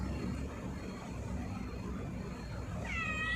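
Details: Cat giving one short, clear meow that bends downward near the end, heard over a steady broadband background hiss.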